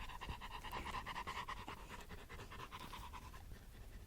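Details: Two Labrador Retrievers, a yellow adult and a brown puppy, sharing a stick while playing; steady, breathy, rapid panting in quick rhythmic bursts about twice a second throughout, with no voices over it.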